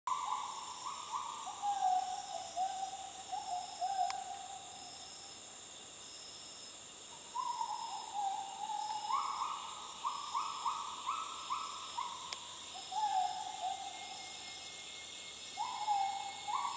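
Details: Gibbons in the jungle of Sabah, north Borneo, 2011, give clear hooting whoops rising in steps, repeated in bouts over a steady insect drone.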